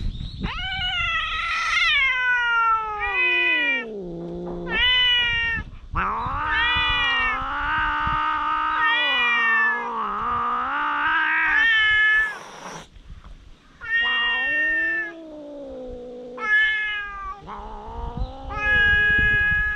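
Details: Stray cats on a cat island, recorded with a GoPro HERO8, in a sudden fierce quarrel: long, loud, wavering yowls that rise and sag in pitch, held for several seconds with short breaks between drawn-out howls.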